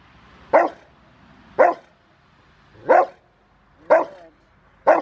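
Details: Five-year-old male Rottweiler in bite training on January 20, 2020, preparing for a ZTP trial. He gives loud, sharp single barks, five in a row, about one per second, with a quiet background between them.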